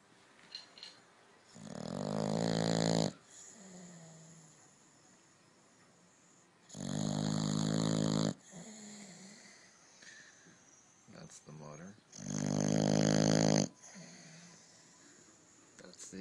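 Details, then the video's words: A sleeping dog snores: three long, rough, harmonic inhaled snores about five seconds apart, each lasting over a second, with softer wheezy exhales and quiet rustling between them. "Funny Dogs Snoring Compilation"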